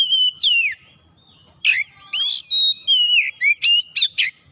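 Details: Home-kept Oriental magpie-robin in full song, mixing a falling whistle, loud scratchy bursts and a run of short clipped notes with quick slurred sweeps near the end.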